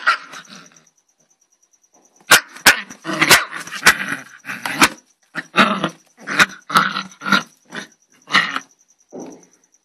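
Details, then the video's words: Angry dog barking in a rapid run of sharp, harsh barks, about two per second after a short quiet start, with a faint steady high-pitched tone in the background. "angry DOG"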